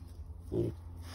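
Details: Purebred Berkshire piglet, a breeding gilt, newly arrived at a pasture farm after transport: one short, tense squeal lasting about a quarter second, over low engine-like rumble.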